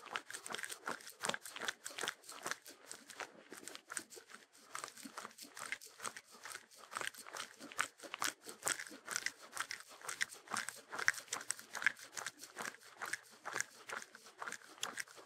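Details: Shetland Sheepdog (Sheltie) eating, recorded for relaxation with no music: dense, rapid crunching and crisp crackling bites, closely spaced and uneven, steady throughout with short quieter gaps.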